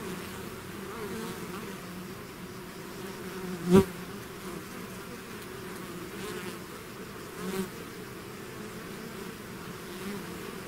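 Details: Honeybee swarm out of its hive, a dense steady buzzing hum built from many overlapping wingbeats, with low droning bands and a few louder passes of single bees close by, near four and seven and a half seconds.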